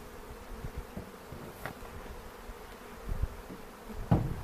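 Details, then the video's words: Honey bees during an April 27, 2018 hive inspection in foothills near Cochrane, beekeepers searching for queen cells and making a split, filmed with a 360 camera; a low steady hum, with sharp clicks and knocks of handling near the end. "Bee Hive Inspection"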